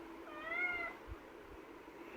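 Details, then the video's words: Caged kitten protesting to be let out, giving one short, bright meow that rises and falls within under a second, followed by quiet room noise and faint thumps. "Pavi kutty is arguing with me to come out of the cage"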